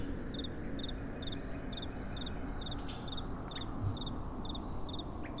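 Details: Crickets at night chirping in a steady rhythm: shrill doubled pulses about every half second, accompanied by a soft, continuous, low wind rush.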